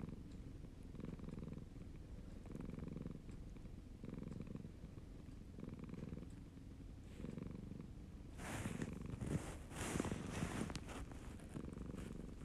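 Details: A male Siamese cat purrs steadily, a low rumble swelling and fading with each breath.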